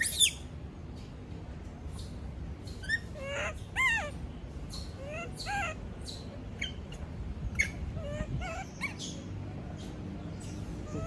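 A monkey gives a string of shrill, arching squeals, distressed at being left alone.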